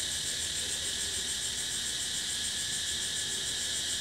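A cicada sings a continuous, piercing buzz, high and metallic, never pausing. A subtle rapid throb pulses through the drone, and nothing else breaks the wall of sound.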